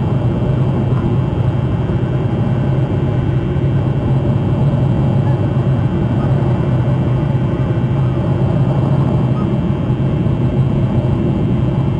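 A steady low vehicle rumble, like an engine or passing traffic, fills the recording with no animal calls standing out.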